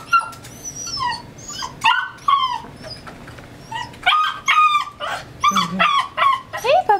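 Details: Old English Sheepdog telling its owners what is on its mind: a rapid run of high whistling whines and squeaky yips, rising and falling in pitch, in irregular bursts, with soft background noise.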